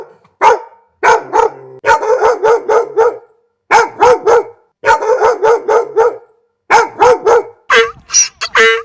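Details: Dog giving bursts of sharp, mid-pitched barks, three to five in quick succession, with short silent gaps between bursts and a few higher whiny yelps near the end.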